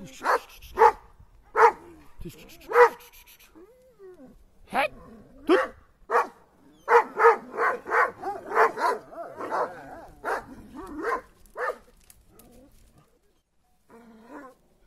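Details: Kangal dogs attacking, barking hard in short bursts of single and paired barks, then a fast volley of about eight barks before they tail off into quieter yips and a few whines.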